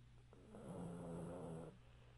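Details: One long throaty snore from a chubby pug that has fallen asleep sitting up on a couch indoors, a rough buzzing inhale of about a second, steady low hum behind.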